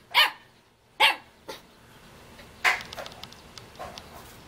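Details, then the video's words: Jindo dog puppy in Jeonju, North Jeolla, Korea, calling and wagging its tail to invite play; three sharp, high, clear barks roughly a second apart, followed by fainter yips fading away. "같이 놀자고 꼬리치며 불러대는 귀여운 아기 진돗개"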